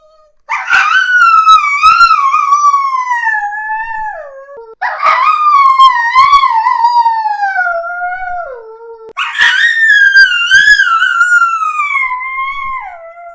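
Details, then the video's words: A crying dog, possibly a puppy, gives three long, high whines about four seconds apart. Each starts sharply, wavers, then slides slowly downward in pitch and fades. No other sounds are audible. "Cachorro Chorando [ Incluso Som de choro de filhote de cachorro ]"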